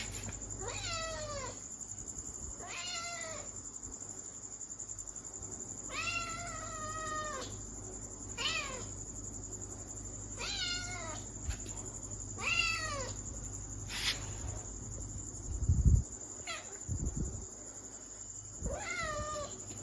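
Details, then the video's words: Kitten meowing over and over, about eight high, thin meows spaced irregularly a second or two apart, each falling in pitch, with a few low thumps and a constant background hiss. "Cute baby kitten sound | kitten meowing sound effect"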